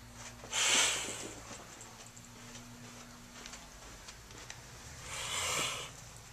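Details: Motherless kittens learning defence reactions indoors, trying to look tough: two loud, airy, noisy hisses about four and a half seconds apart, each lasting under a second, with faint rustling and a constant low electrical hum between them.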